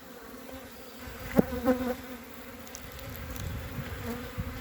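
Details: Honey bees on three hive frames on 14 February 2021, giving a low, steady droning hum with layered tones, broken by a few short knocks and tonal blips in the middle.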